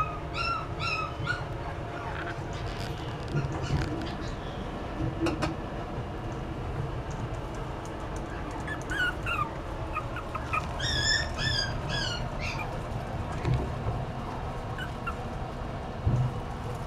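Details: Poodle-Maltese mix puppy: bursts of high, thin yips and whimpers in short runs of three or four near the start and again after ten seconds, over a steady low hum of room noise.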